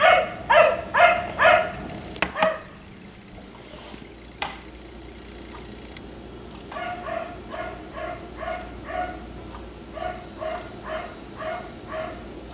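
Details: Black Labrador retriever left outside at night until 1am, barking in a rapid burst of about five loud, harmonic woofs, then a pause and a longer run of softer, evenly spaced barks roughly twice a second.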